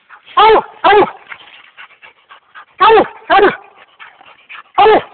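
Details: American Leopard Hound treed on a raccoon up a large cottonwood in swamp country; loud, rough, strongly harmonic barks, some paired, with soft whining and voices in the gaps.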